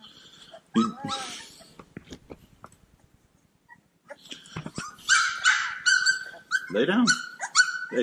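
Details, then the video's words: Cane Corso puppies playing, starting quiet with a few scattered squeaks and a human voice, then breaking into a rush of high yipping barks and squealing whines in the last three seconds. "Bunch of Yipping Puppies!"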